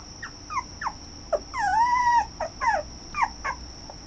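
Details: Red toy poodle whining: quick falling yelps around a longer drawn-out arched whine in the middle, followed by more short descending whimpers; constant high-pitched electronic tone in the background.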